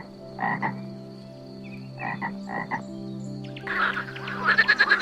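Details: Frog croaking: a few short, separate croaks followed by a fast run of pulsed croaks near the end, with steady music humming underneath.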